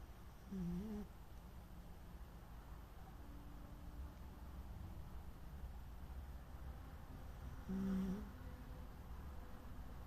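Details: An asleep Corgi gives soft, low humming snores, one near the start and another about seven seconds later, each a short tonal drone over a quiet room hiss.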